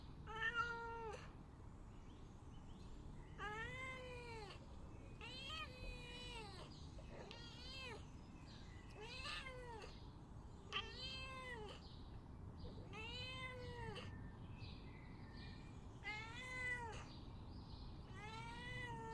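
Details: Domestic cat meowing and begging, giving about nine drawn-out, arching meows at irregular intervals of roughly two seconds, each rising then falling in pitch, over a steady low background hum.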